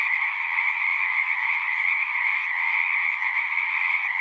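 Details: Singing frogs make a steady, seamless chorus of overlapping trills at a constant volume, with a faint low murmur beneath.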